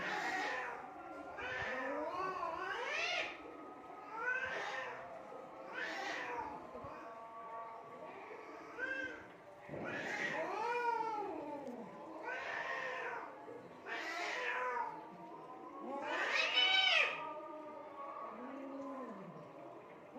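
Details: Cats fighting in Assam, India: drawn-out, wavering yowls that rise and fall in pitch, with rich overtones. Calls come in overlapping bouts every one to two seconds throughout, with brief quieter gaps and a faint background hiss.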